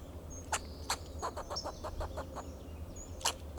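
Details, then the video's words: Fox squirrel on a Monterey pine in Del Monte Forest, California, giving alarm calls to protect itself and its territory: a handful of short, harsh chucks spaced irregularly, with faint high thin bird notes and a low steady hum behind. "Sound of a Fox Squirrel"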